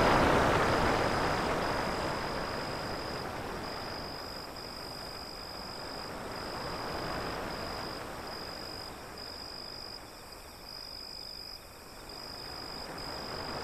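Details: Crickets beside waves beyond an alley give a thin, high chirping pulse repeated steadily about four times per second. A broad wash of surf rises and falls beneath it.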